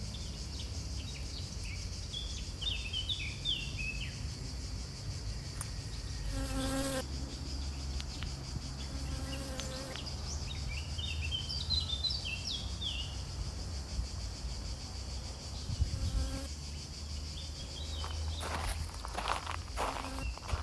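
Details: Honey bees pollinating flowers make a constant low droning buzz throughout, joined by bursts of quick bird twittering and a few sharp clicks and knocks.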